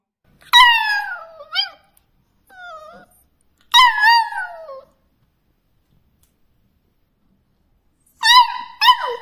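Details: A beagle puppy "singing" gives short, high, wavering howls that slide downward, with a soft whimper between them.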